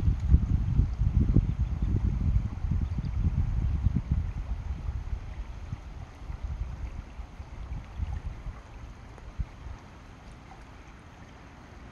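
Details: No animal sound is heard, only low rumbling water and wind noise by a stream that fades gradually over the recording.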